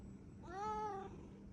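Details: Tuxedo cat making a cute sound when it wants something: one drawn-out, clear meow lasting about half a second, rising and then falling in pitch, with quiet indoor background.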